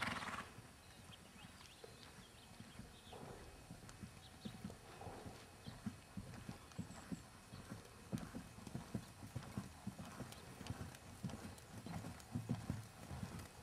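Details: Six-year-old 3-gait Tennessee Walking Horse Jerry, keg-shod and naturally gaited, moves with muffled low hoof thuds that start sparse and grow into a quick, dense, slightly irregular patter near the end.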